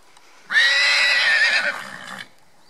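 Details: Cachemire, a pony competing in a pony 2 grand prix on 18 November 2018, lets out one loud, strained whinny lasting under two seconds. It holds a high, steady pitch, then drops off, with quiet background before and after.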